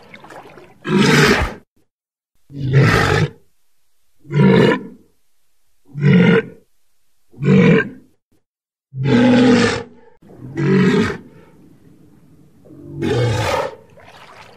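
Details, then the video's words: Walrus producing a steady run of eight hoarse roars, some clipped and short and others longer and bellowing, about every one and a half to two seconds, with soft rumbling between later calls. "Mors. Odgłosy Morsa."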